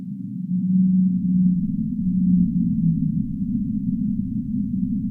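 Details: A deep-sea whale gives long, low moaning calls that slide slightly in pitch over a deep rumbling background.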